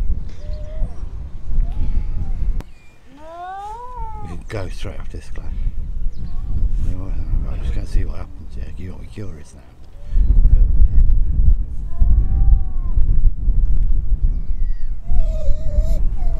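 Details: Atlantic seal pup on a Lincolnshire beach that has lost contact with its mother, wailing: drawn-out, arched and wavering cries come in scattered bouts, with a rapid rising series early on, over heavy low wind rumble.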